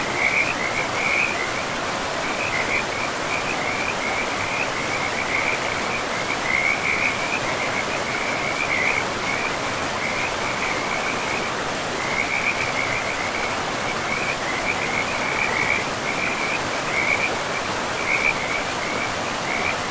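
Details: Frog calling beside a forest river, repeating short, buzzy, rattling trills in bursts every second or two for twenty seconds. Steady high pitch over a continuous wash of flowing water.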